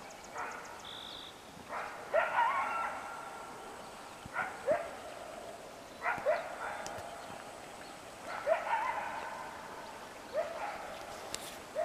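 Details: Coyotes calling in the morning along the West Walker River: repeated bursts of yipping and short wavering howls, arriving in clusters every two seconds or so, with some faint birdsong in the background.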